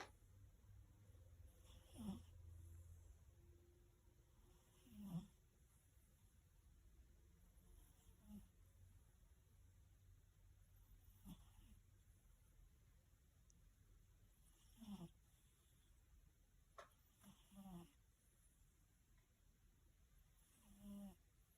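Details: A sleeping pet cat snoring and twitching in his sleep; soft, low breathy snores recur irregularly every few seconds, with brief faint rasping bursts over a quiet indoor hum.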